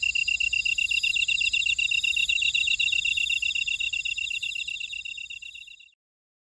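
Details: Insects of a Jeju buckwheat field in Ora-dong, South Korea, keep up a bright, evenly pulsed high trilling chorus in overlapping layers, then the sound fades smoothly away to silence near the end.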